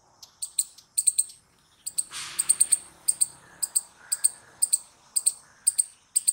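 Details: Squirrel noises: high, clipped chirps mostly in pairs, repeated steadily about twice a second, with a brief rushing noise burst early on.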